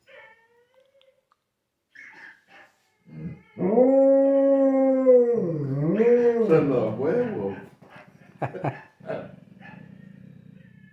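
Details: Labrador retriever indoors howling like a wolf while watching other dogs on TV: a few soft sounds, then a long sustained tonal howl that wavers and dips in pitch, followed by short yips and background voices.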